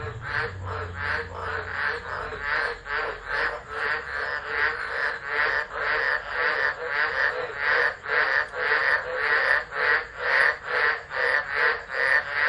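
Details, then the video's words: Frogs of the tropics singing during a stormy tropical low at Driver, Northern Territory, Australia, 13 Dec 2013, captured by a phone set down nearby; rapid overlapping croaking pulses, about two per second, brief low rumble at the start. "Tropical Storm Frogs Singing"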